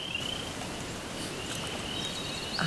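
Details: Spring peepers, small frogs heard but not seen, calling in new wetland habitat created by beavers. Their high, clear, thin peeps slide slightly upward and blur into a shimmering chorus over a soft outdoor hiss and low rumble.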